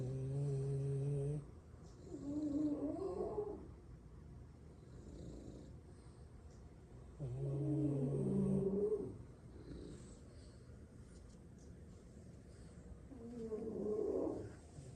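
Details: French Bulldog asleep at midday nap among six siblings, tired from play, snoring in a regular cycle: paired rumbling inhale and rasping exhale, repeated about every six seconds, four snores in all.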